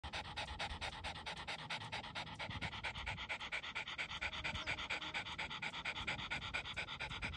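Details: Dog panting steadily and rhythmically, quick breathy huffs of roughly two per second running evenly throughout, each a broad airy rasp, with soft low rumbling underneath.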